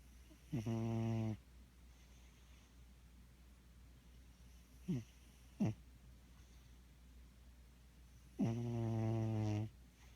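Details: Snores from a sleeping cat: a short reedy snore, two quick soft snorts, then another longer droning snore several seconds later, with quiet pauses between breaths.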